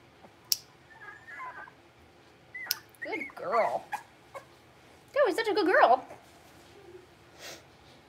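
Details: Six-week-old blenheim Cavalier King Charles Spaniel puppies from a litter of five, born on New Year's to Paris and Spike, in an indoor puppy pen: two bursts of wavering, high-pitched whining with rising and falling harmonics, separated by quiet clicks.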